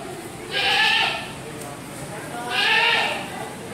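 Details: Mountain goat at a park garden in Gading Serpong, Indonesia, among farm animals, bleating twice about two seconds apart, each call short, nasal and quavering, with faint background hum.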